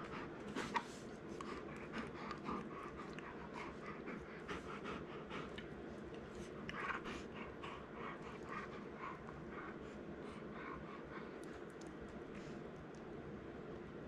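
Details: Young male Golden Retriever at home, mouthing playfully as his excitement rises; steady fast panting with bursts of heavier huffing breaths and small snorts.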